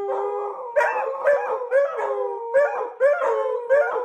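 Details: Puppies or dogs howling together like wolves, overlapping wavering tones with short rising yips breaking in about every half second, a dense chorus of cries.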